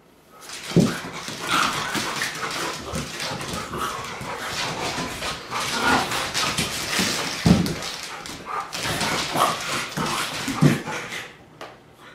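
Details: Irish Setter dog, a breed from Ireland, giving repeated barks and whimpers indoors amid constant rustling noise, with louder sharp barks near the start, middle and end and a person scolding afterwards.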